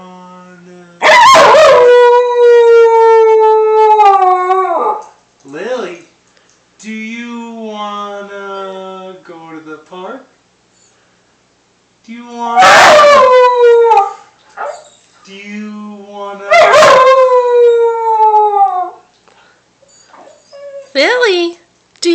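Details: Pet puppy howling when asked about going to the park; long wavering howls that slide downward, three main bouts between a woman's coaxing speech and shorter yelping whines.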